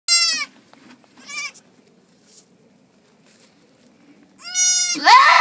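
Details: Goat on a farm in March, around the time of giving birth: loud harmonic bleats, one at the start and a longer one near the end, with fainter short bleats between and a rough noisy cry closing.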